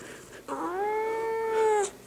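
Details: An angry pet cat refusing to be held lets out one long, steady, drawn-out meow lasting over a second, tonal with rich harmonics, ending with a slight fall; a quiet indoor room behind it.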